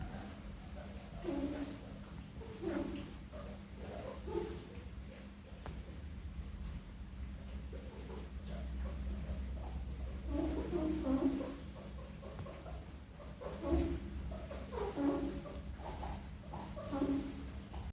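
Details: Pet guinea pigs (Cavia porcellus) give short, nasal honks like a small toy horn in clustered bursts, over a low indoor hum; the owner is unsure why they make this sound.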